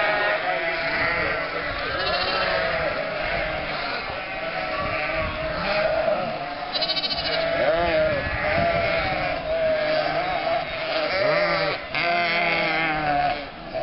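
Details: A flock of nearly 1,000 sheep, lambs and goats driven through the historic market centre of Mörnsheim, Altmühltal Nature Park, Germany, in May 2012 toward summer pasture: many overlapping wavering bleats, high and low, over crowd murmur and footsteps.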